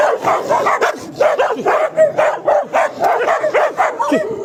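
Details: A dog gives a quick run of sharp, mid-pitched barks, roughly two per second, slightly uneven in spacing, each bark short and bright with a slight downward slide.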